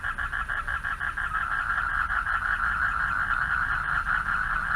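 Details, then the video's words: Male frogs calling for mates at night from a pond beside a dark path: a dense, continuous chorus of rapid pulsed trills around a steady mid pitch, beats running together without pause, with a low background rumble. "RELAXING SOUNDS OF FROGS AT NIGHT"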